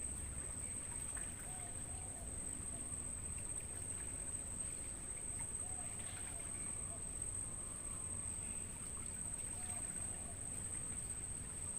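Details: Crickets in a natural mangrove forest, recorded as training audio for songbirds: a steady, very high, unbroken trill holds one pitch throughout, with faint scattered short bird notes and a low background rumble.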